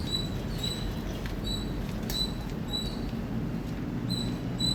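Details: Indian squirrel chirping loudly: short, sharp, high-pitched chirps, about eight in under five seconds, spaced unevenly, over a steady low rumble of background noise.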